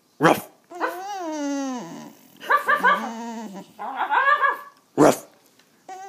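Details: Whining from Penny, a dog someone is trying to make bark: a long sliding whine followed by two shorter, choppy whimper sequences with rich overtones, between sharp bursts at the start and near the end.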